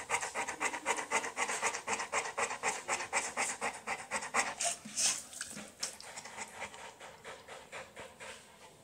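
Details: Bullmastiff waiting at the vet, panting hard: rapid, regular breathy huffs about four per second, each a raspy burst of air. The rhythm loosens and fades toward the end, with a brief rustle midway.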